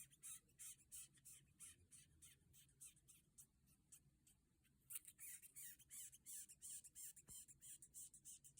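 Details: Longhorn beetle giving dry, scratchy squeaks in a steady run, about three per second, high and raspy with short gaps, over a faint low hum.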